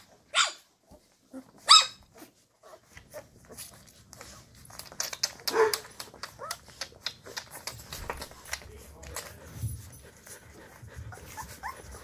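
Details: Llewellin Setter pups at two and a half weeks, active in their box in the evening after momma came in; two loud shrill yelps open, followed by scattered smaller yips and rustling, with a low murmur underneath.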